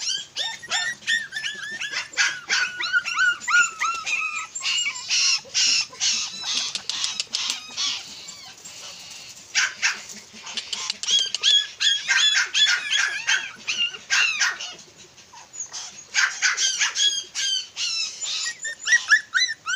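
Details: Red-and-tan Miniature Pinscher of very small size yapping in rapid high-pitched barks and whiny yips, dense bursts separated by brief pauses, some barks overlapping, quiet background.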